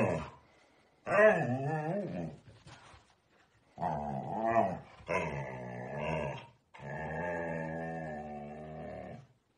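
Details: A teenage Siberian husky grumbles and whines in drawn-out, wavering, talkative bursts, apparently unable to stand being looked at.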